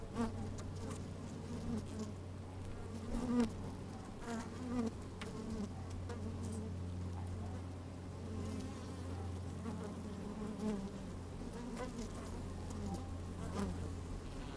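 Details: Honey bees busy at work in an opened hive, recorded with the microphone inside on a sunny day; dense low humming with a steady deep drone beneath, brief harmonic buzzes and crackling taps throughout.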